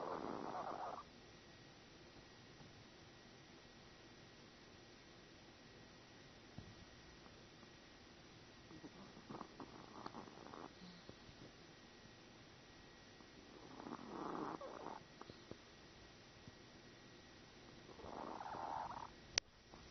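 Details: Cub-Lui, a sleeping Chihuahua, snoring: soft, broad, rasping breaths that swell and fade in bursts about every four to five seconds, with quiet hiss between and a faint steady tone in the background.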